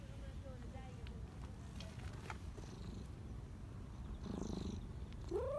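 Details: Black Persian cat living as a community cat in a Japanese park, petted and overjoyed; low steady purring, a faint wavering meow at the start, then a sharp rising meow at the end.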